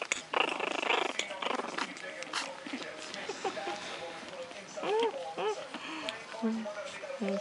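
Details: A female Japanese Chin puppy, three weeks two days old, lying defensively on her back, gives high, arching tribble-like squeaks and whimpers while a person talks.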